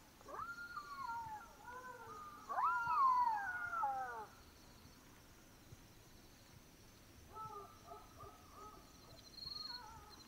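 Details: Black-backed jackals (Canis mesomelas) howl at night in Botswana with long, wavering wails that break into a series of short yelping notes.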